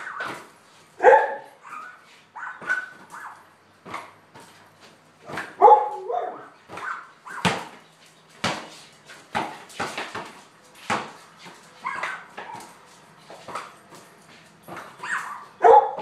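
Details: Lady, a border collie, plays ball in a garage, giving occasional sharp barks and short whining yelps between the thuds of a bouncing basketball, with a few louder barks spaced several seconds apart.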